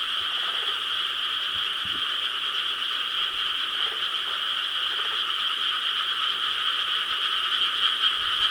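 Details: Rice-paddy frogs in Korea, recorded on the summer night of 4 July 2013, a thick unbroken chorus of overlapping croaks that merges into an even, ringing drone.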